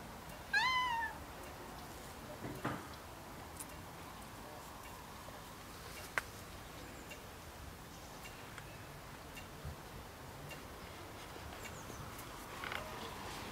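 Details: Crying in the garden while Snow White walks away, Rags gives a single clear, bending meow at the start, followed by a long quiet stretch of faint background noise and a couple of soft clicks.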